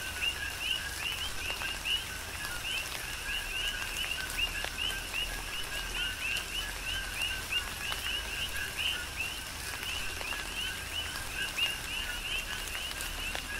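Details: Coqui frogs on Hawaii's Big Island keep up a rhythmic chorus during a tropical rain shower: many brief rising chirps overlap continuously, pitched high, beneath steady hiss and taps of falling raindrops.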